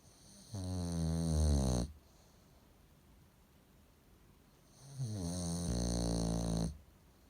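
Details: Sleeping bulldog snoring loudly indoors: two long, harsh, rumbling snores with a strongly pitched low buzz, each lasting over a second, separated by several seconds of quiet breathing.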